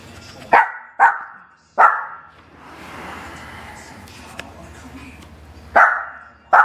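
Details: Dog barking during play on a couch, Bella enjoying hair-pulling fun at Lilly's expense; three punchy barks in quick succession, a quieter stretch with faint talk, then two more barks.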